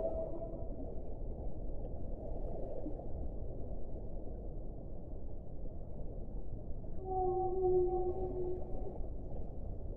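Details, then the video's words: Whale song: a short tonal tail at the start, then a long stretch of low underwater rumble, and near the end a sustained, level moan with clear overtones lasting about two seconds. "1 ora di suono delle balene"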